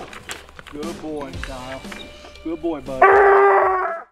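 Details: Coonhound on a coon hunt: human talking first, then one loud, sustained, harmonic bawl lasting about a second that ends abruptly.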